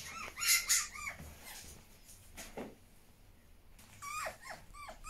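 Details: Pet fennec fox Djinn makes soft, high whimpering chirps, short rising-and-falling notes in quick pairs, then a long quiet pause before another cluster of whining chirps.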